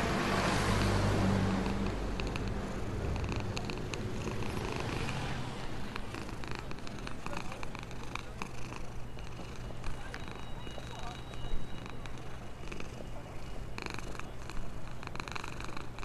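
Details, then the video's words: Happy black homeless cat that lives in a box near a store, purring while being fed and cared for; a low, steady rumbling purr strongest in the first six seconds, then a constant low hum and faint rustling. "Purring of a happy black cat"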